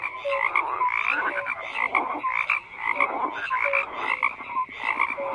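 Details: Frogs calling in a thick overlapping chorus, mid-pitched raspy croaks mixed with short whistle-like notes, recurring in loose bursts about once a second without a break.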